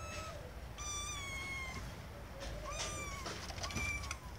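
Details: Little kittens calling for their owners' attention: high, thin meows with long level or slightly falling tones, three calls spread over about four seconds, a faint lower mew between them.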